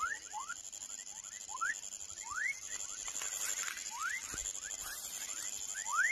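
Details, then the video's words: Calls of a baby frog: scattered rising chirps, some fainter, others sharper and louder, set against a noisy, hissing background with a steady high whine. "Som de Rã filhote / Baby frog sound"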